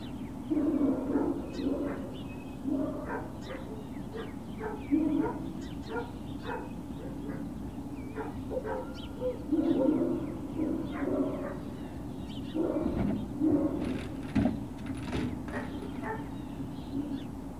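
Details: Great Dane puppies at Puppy Hill, 21 March 2019, late morning: scattered short yips and whimpering squeals in uneven bursts, several overlapping, over a constant low rumbling hum.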